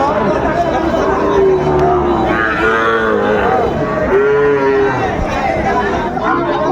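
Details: Sahiwal bulls and calves at Ambari livestock market, Brahmanbaria, Bangladesh, late May 2024. A few sustained, tonal lows of about a second each stand out against continuous crowd noise and speech.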